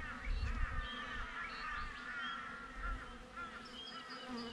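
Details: Outside a beehive, a GoPro picks up honey bees: an even, low droning buzz, with chirping birds calling repeatedly over it and short gusts of wind rumbling at the start.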